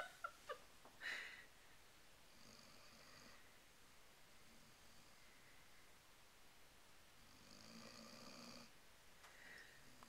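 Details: An 11-month-old female Weimaraner, asleep on the couch after playing at the dog park, snores softly with long airy breaths about every five seconds.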